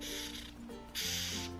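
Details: A male Madagascar hissing cockroach, a pet also kept as feeder stock, gives breathy, airy hisses, like shaken maracas, when lightly tapped.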